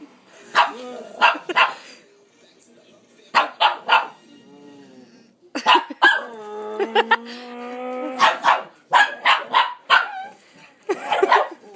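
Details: Pepper the dog barking while chasing a "vacuum" a person imitates: clusters of two to three loud, short barks, separated by a long rising, droning human vocal imitation, then more rapid barking at the end.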